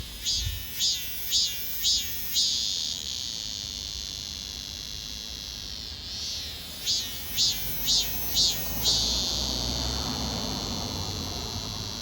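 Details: Cicadas recorded in Donghae, South Korea, in 2022: bursts of high, hissing pulses about twice a second, a pause, then another pulsing run over a steady shrill buzz that carries on underneath.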